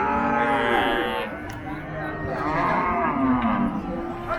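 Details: Cattle at Paragram cattle market, 7 December 2024, Bangladesh; a couple of mooing calls, one rising and falling near the end, against constant market crowd noise and voices.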